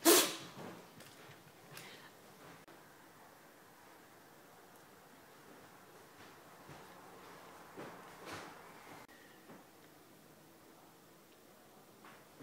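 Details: Japanese Spitz named Cosmo in a sneezing fit after his bath: a sharp, loud burst right at the start, then softer snorting bursts near two seconds and around eight seconds, with quiet room sounds between.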